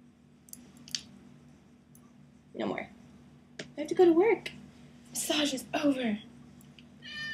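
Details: Pet cat that enjoys being blow-dried with a hairdryer, heard indoors in a small room; two or three short wavering meows, with faint human speech and a low steady hum in the background.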